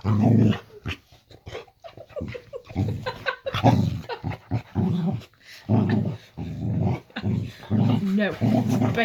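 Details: Layla, a Boxer dog, growling in a bedroom at bedtime while in a playful mood; near-continuous low rumbling growls and grumbles with human voices talking over them.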